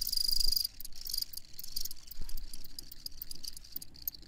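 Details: Crickets chirping in a high, pulsed chorus, with a brief steady trill in the first half-second and rapid clicking pulses continuing throughout over a soft low rumble.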